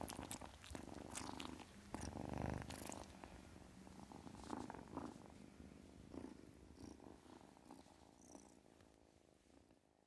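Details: A kitten purring: a steady, low, rough rumble with rapid pulses, louder in the first three seconds and then slowly fading, with a few brief soft rustles.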